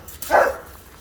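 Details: A boxer collected from dog daycare gives one short, mid-pitched bark lasting about a quarter second, with no other clear sounds around it.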